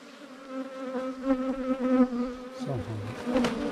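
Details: Loud, close swarm drone of wild ground-nesting cavity bees whose underground nest is being beaten open. Rich, strongly harmonic hum swelling and dipping in volume, with a short lower sliding sound and a crackle near the end.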